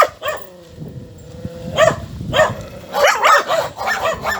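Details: Four small dogs bark in quick, yelping bursts, first spaced out, then bunched into an excited cluster of high barks, over a low background hum.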